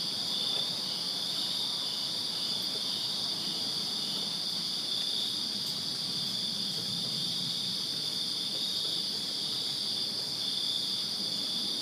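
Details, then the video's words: Many crickets chirp together on a summer night in a backyard in Virginia, producing an even, ringing high trill that never pauses, plus a faint distant low rumble. "Crickets Chirping Summer Night in Virginia"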